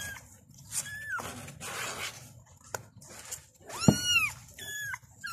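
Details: Kittens crying out for their mother, a few sparse high meows, one long wavering cry and a short squeak among rustling and handling noise.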